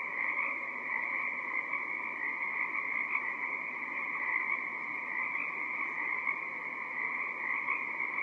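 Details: On a March night off Gabriola Island, BC, Canada, during the Pacific herring run, a dense, unbroken chorus of Pacific tree frogs gives many overlapping mid-pitched ribbits and trills that merge into a steady, shimmering wall of sound.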